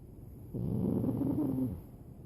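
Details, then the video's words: Pug fast asleep, snoring loudly: a single raspy, low, fluttering snore lasting about a second with a slight upward pitch drift, set between quiet breaths and a faint steady background hiss. "Snoring Pug"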